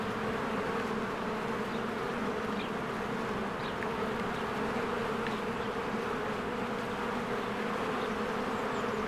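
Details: Swarms of honeybees come and go at a beehive in spring, making a thick, continuous low hum. Faint, thin bird chirps break through the drone a few times in the background.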